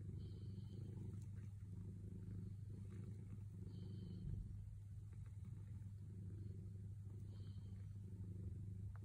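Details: Sailo, a contented cat waiting for petting, purrs in a long, deep, rapidly pulsing rumble with a small dip near the middle, while faint high thin tones and light clicks come through now and then.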